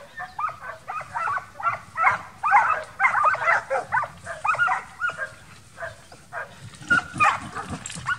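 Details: Young Transylvanian Hounds in midsummer wild boar hunting training give loud, harmonic barks in quick bursts, several per second, easing into sparser, fainter barks toward the end.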